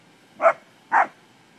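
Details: During play with cattle, an English springer spaniel lets out a pair of abrupt, punchy barks roughly half a second apart in an otherwise quiet scene.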